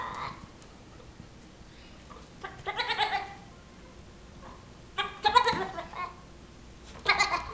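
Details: Six-week-old Nigerian Dwarf baby goat annoying a patient Yorkshire Terrier; three separate bouts of harsh, wavering bleats spaced a few seconds apart against a quiet indoor background.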